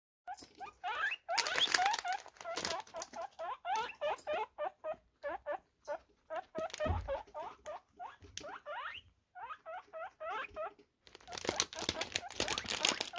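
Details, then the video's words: Several guinea pigs react to a rustling plastic bag with rapid, repeated high squealing wheeks, rising chirps in quick series, interrupted by bursts of crinkling bag noise at the start and end. "REAKCJA Świnek Morskich Na SZELEST Plastikowej Torebki | When Guinea Pigs Hear A Plastic Bag"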